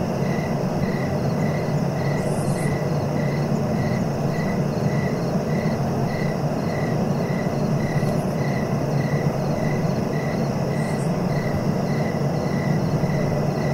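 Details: Crickets chirping for relaxation and sleep: a steady, even chirp repeated roughly twice a second throughout, with a few brief high buzzy bursts from other callers and a constant low rumbling background.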